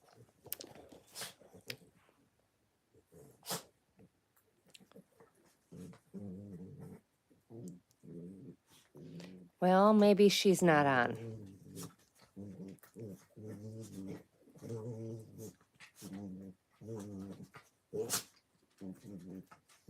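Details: Puppies at play, giving short low growling bursts in quick succession, roughly two or three a second, with one louder, longer rough outburst in the middle and a few sharp clicks and knocks early on.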